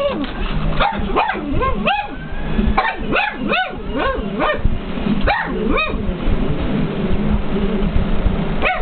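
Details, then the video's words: Jasper the pug barks at the TV while K911 plays: a rapid run of sharp, yappy barks, roughly fifteen in nine seconds, some in quick doubles, over steady TV sound and music. "Pug barking at TV"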